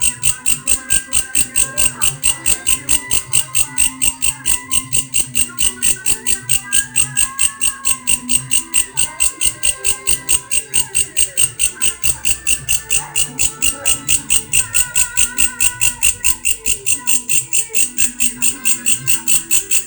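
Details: Grasshopper making a strange sound: a steady train of buzzy, high-pitched pulses, a little over two per second, unbroken for the whole stretch, with faint low murmurs and scattered background noises underneath.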